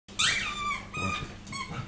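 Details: Puppy in a small indoor room giving high, tonal whining cries with a sharp onset, then softer wavering whimpers trailing off over about two seconds.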